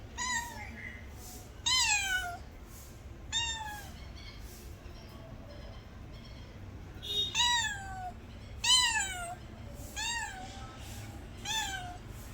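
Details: Domestic cat meowing insistently: seven loud, clear meows, each rising then falling in pitch, spaced one to two seconds apart with a pause in the middle, over a quiet indoor background.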